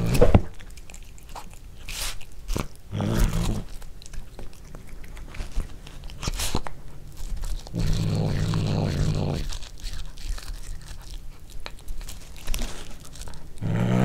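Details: Domestic cat growling while eating corn for the first time indoors, recorded on a Panasonic DC-GH5. Low, rumbling harmonic growls rise in bursts of one to two seconds between steady crunching and chewing of corn kernels.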